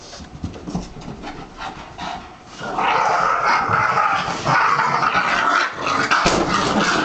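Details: Boston Terrier, a pet dog, barking and making odd vocal noises; faint irregular sounds at first, then from about three seconds a sustained loud stretch of harsh, noisy yelping and whining with bright overtones, continuing to the end.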